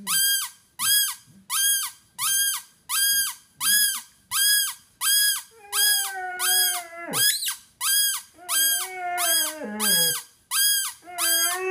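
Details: A pet Basset Hound named Penny, 5.5 years old, almost howls for the first time. Two drawn-out, wavering, bending whine-howls rise through a steady train of shrill, harmonic-rich squeals pulsing about once a second inside a room.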